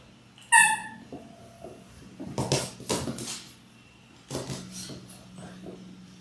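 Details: Labrador Retriever puppies in their sixth week, litter of six born January 18, 2022, indoors: one sharp, high, strongly harmonic yelp near the start, followed by shuffling, scratching and a faint low hum.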